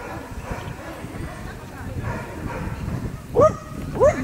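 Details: Standard wire-haired dachshund bitches in the champion class at a dog show; two sharp, loud barks close together near the end, over a steady murmur of crowd talk.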